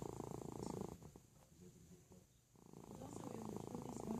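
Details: A sleeping house cat named Felix snores in a small room, a buzzy, throbbing rasp that fades into a soft lull, then returns strongly for the last second and a half.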